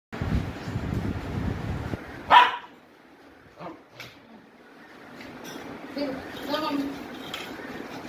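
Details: A 21-month-old male Indian Spitz gives a single sharp, aggressive bark, with low rumbling before and human voices after.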